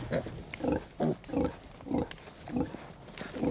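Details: On a farm, a sow lying on her side while her piglets suckle gives short, low grunts in a steady series, about two each second, with a soft narrating voice faintly in the background.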